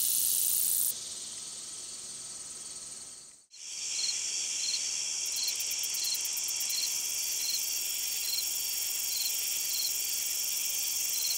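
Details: Long-spurred meadow katydid song, a high, dense insect buzz that cuts out briefly near the middle, then resumes with rapid ticking and evenly spaced soft pulses repeating steadily over a continuous hiss.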